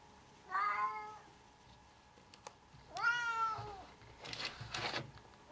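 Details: Two drawn-out meows from a pet cat, each descending slightly in pitch, come about two and a half seconds apart. Rustling and handling noises follow the second meow, with a steady background hum throughout.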